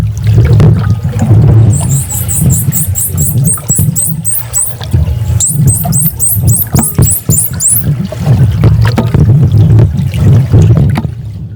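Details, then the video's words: A captive male bottlenose dolphin answers a playback of a familiar dominant male, unseen for about five years, with rapid, very high, rising and falling whistles over low rumbling, after the playback sound. "all right so here is a dolphin response the first sound you hear is my playback everything else you're hearing is the dolphin responding to its familiar partner"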